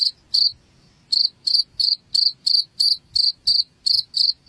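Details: Cricket chirping meant to chase rats from a home: two high pulses, a pause of half a second, then a regular run of chirps about three per second.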